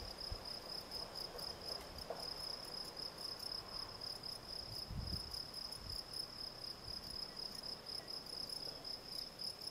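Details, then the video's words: Field cricket (Gryllus campestris) giving a long run of evenly spaced, shrill pulsed chirps on one high pitch, with soft low knocks and faint background rumble behind it. "Field Cricket - Gryllus campestris"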